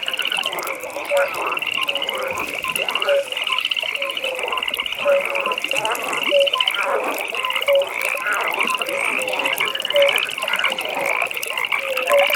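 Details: Evening frog pond ambience, many frogs overlapping in a steady rattling trill while brief croaks repeat roughly every second, the chorus swelling and easing in waves with no other sounds clear.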